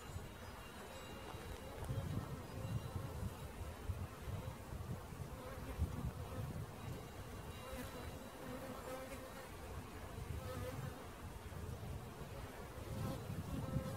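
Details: Honey bee swarm gathered under a hood while being caught, giving a thick, unbroken droning buzz with strong low rumble throughout.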